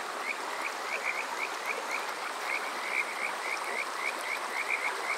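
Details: At Water Park Shirayama in Yokoze, Saitama, Japan, on a summer night, a Kajika frog gives steady high chirps, each a brief rising whistle, about four per second, against a continuous rushing-stream backdrop; TASCAM DR-05X recorder.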